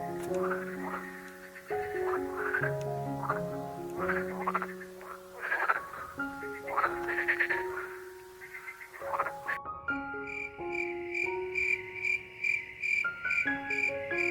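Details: A frog makes a run of irregular croaks, each a short harmonic call that bends up or down, spread over about nine seconds. Gentle melodic background music plays throughout, and a chiming tune takes over at the end.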